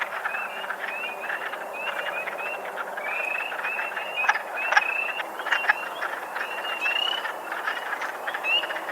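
A wood frog chorus of low, clucking chuckles, with spring peepers' slurred rising whistles on top.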